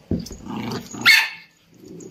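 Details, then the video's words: Indian Spitz pet giving a single bright, high-pitched yap after some low mumbling and rustling; quiet afterward apart from a soft low murmur. "Indian Spitz Dog Barking"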